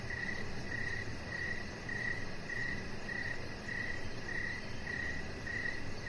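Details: Evening cricket chorus outside by a deck with a chihuahua puppy lying nearby; a bright, even chirp recurs at a regular rhythm, roughly nine times, above steady low-pitched background noise.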